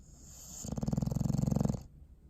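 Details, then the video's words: Pet dog asleep, recorded December 21, 2019, giving a single low, throaty snore of just over one second with a fast fluttering rattle. "Sleepy Snoring Face"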